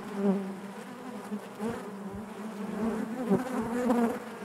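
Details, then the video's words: A crowd of honey bees droning within the hive, a thick harmonic hum that grows slightly louder toward the end, broken by a few quick close wingbeat bursts. "bees therapy hive natural buzzing sound"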